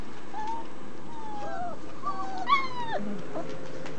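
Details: Twenty-nine-day-old German Shepherd puppies, part of a family-raised litter at a breeder, give thin drawn-out whines that slide downward, several overlapping, with one sharper squeal in the middle against a quiet hum.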